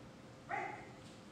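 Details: Single brief bark from a Great Pyrenees being trained in directed jumping, a bright tonal bark lasting about half a second that fades slowly, against faint room noise.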